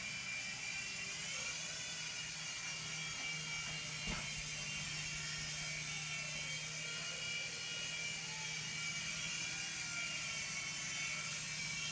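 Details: A steady mechanical whir with a low droning hum and high ringing overtones, with one brief knock near four seconds.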